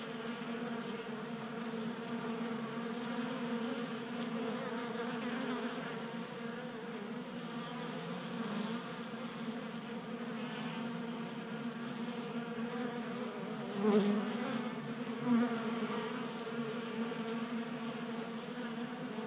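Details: Colorado honey bees, active in a warm January, feed at a 3D printed feeder in a garage; an even, sustained buzz with layered harmonics, broken by two louder close fly-bys in the latter half.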